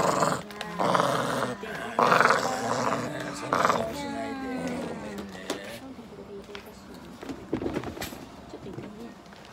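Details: An 8-year-old corgi at a veterinary clinic in Nagoya growls and whines in drawn-out, grumbling bursts while having blood drawn, as people talk nearby.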